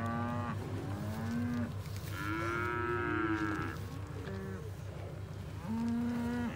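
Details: Hereford cows with Braford calves from a herd of 71, filmed 29 October 2021: a short moo, then a long higher-pitched bellow that rises and falls, a brief low call, and another moo, over a constant pulsing low drone.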